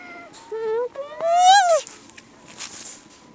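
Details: Harp seal with teary eyes and a sniffling nose, uttering a run of tonal whining cries: short flat notes, then a longer wail that climbs and drops away, over a steady background hiss with faint rustles.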